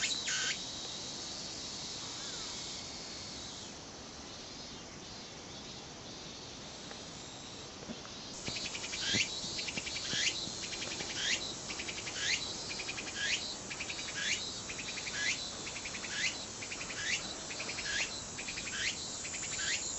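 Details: Tsukutsukuboshi cicada song that starts as a steady high buzz, then after about eight seconds breaks into regular rising sweeps roughly once a second, each followed by a burst of quick pulses.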